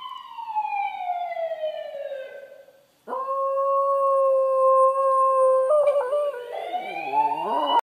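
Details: Kyotofu the Westie howls to a TV ambulance siren: a falling siren glide, a sudden loud flat held note for nearly three seconds, then a dipping, wavering howl at the end.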